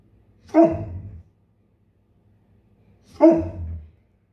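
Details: Male Bernese Mountain Dog, a vocal pet, barking in the morning while waiting impatiently for his breakfast to cool and be served: two deep, short woofs about two and a half seconds apart, each trailing into a low rumble, in a quiet room.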